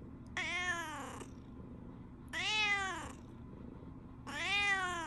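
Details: Morning indoors, a tabby cat seems to tell its owner the Shiba dog is missing after a walk began. Three insistent, slightly rising-then-falling meows, about one every two seconds, over a quiet room.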